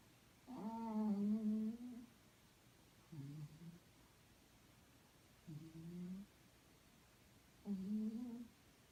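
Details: Small sleeping house cat snoring indoors, said to sound like a tank; four low grumbling breath sounds, the first and last longest and loudest, separated by quiet pauses of about one to two seconds.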